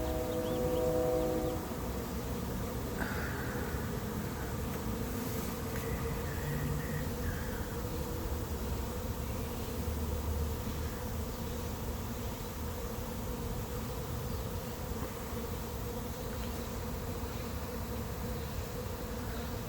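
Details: Honey bee swarm settling into an empty, unprepared hive late in the 2021 season; a continuous low, thick buzzing drone fills the recording, with a few brief higher tonal sounds near the start.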